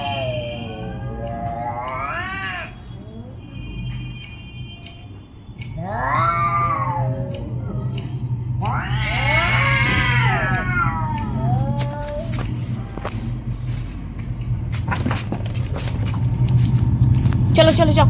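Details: Orange and white domestic cats fighting: three loud, arching, wavering yowls spaced a few seconds apart, then fainter growly sounds and clicks, over a steady low hum throughout.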